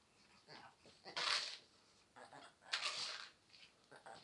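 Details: Pomeranian Spitz 'talking' indoors: two loud, rough, breathy whining bursts near the start and middle, with softer grumbling vocal sounds between them in a quiet room.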